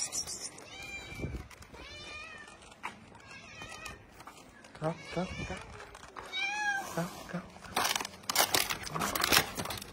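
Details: Kitten from a family of street cats, a mother and her babies, meowing indoors: about four high, bright, harmonic mews spaced across the stretch, each rising then falling, with a person's talk and soft clicks and rustles between them.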